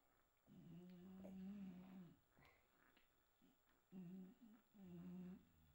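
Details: English Bulldog puppies from a pedigree litter born 6 September 2022, on their first night, give soft nasal whines. A long whimper is followed by a pause, then two shorter whines, in a quiet small room.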